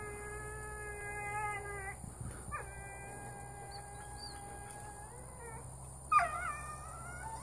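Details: Female pet dog groaning loudly in her sleep, long drawn-out moaning tones held for about two seconds each, a pause, then another sustained groan and a sharper rising whine near the end over a steady low hum.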